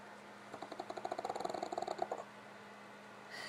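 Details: Tired pugs after a visit to family; Gypsy snores as Otto raises his head. Fast, buzzy snorting pulses repeat for about a second and a half, ending in room hum with a faint rustle.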